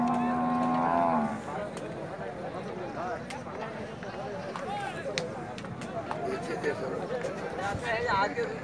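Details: Water buffalo at a market in Bangladesh gives a steady, low, droning moo rich in overtones that ends after about a second, followed by busy crowd chatter and market bustle.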